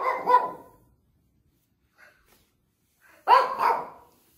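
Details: Elderly pet Shih Tzu keeps barking on a dark evening, apparently pestering for treats: one strong bark, nearly three seconds of quiet with soft faint sounds, then a loud doubled bark.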